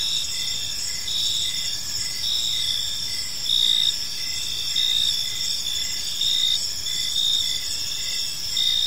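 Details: Gentle chirping of crickets as evening unfolds in a serene park: high, continuous trilling layers with recurring pulsed chirps roughly every second, slight swells in loudness, low ambient murmur beneath.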